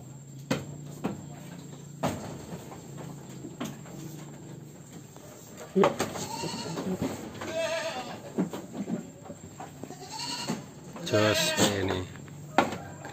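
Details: Large Peranakan Etawah goat in Wonogiri bleating in short, shaky, harmonic bursts around the middle and near the end, amid knocks, clatter and a constant low drone.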